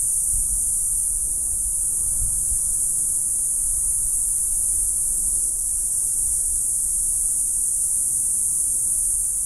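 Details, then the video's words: Two cicadas sitting in a tree outside a house in southern Arizona give a steady, unbroken high-pitched buzz over a low rumble of wind or distant traffic. "Cicada "song" in southern Arizona"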